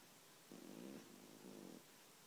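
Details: Soft snoring from Guli, a deeply sleeping house cat: two short rasping breaths, each just over a second, low and buzzy, with silence around them.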